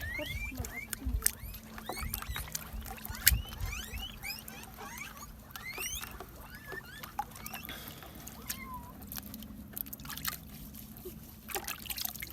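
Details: Reared guinea pigs during washing and cleaning: many short upward-sweeping squeaks, fairly faint, repeated in loose clusters over a low steady hum, with splashing and handling noise.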